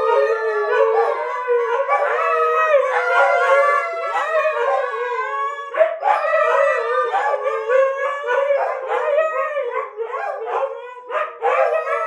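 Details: A long stretch of communal dog howling, Kiska's choir singing together: layered, wobbling howls swelling and fading, then choppier broken phrases and short yips later, the chorus dipping briefly before resuming.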